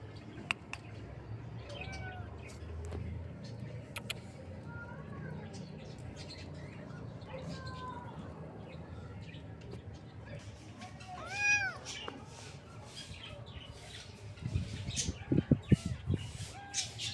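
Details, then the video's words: Kitten meowing: several soft, short mews early on, then a louder, rising-and-falling harmonic meow midway. A few faint mews follow, with knocking and rustling handling noise near the end. "Kitten Meowing Sound"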